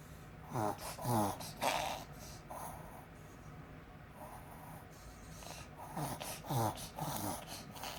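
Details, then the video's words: Pet Pomeranian at home having an apparent reverse sneeze: a cluster of three harsh, rapid snorting gasps near the start, a quieter stretch with soft breathing, then another burst of three snorts near the end. "うちのポメラニアン 逆くしゃみ？"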